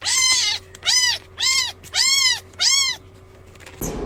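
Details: Kitten meowing five times in a steady series, each call a clear arched whine repeated roughly every half second, ending with a brief noisy scuffle.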